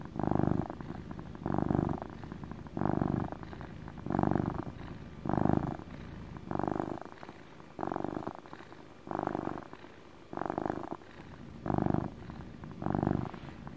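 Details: Domestic cat's relaxing motor purr, deep and rumbling, pulsing in eleven even bursts about 1.3 seconds apart with quieter gaps between, steady and loud throughout.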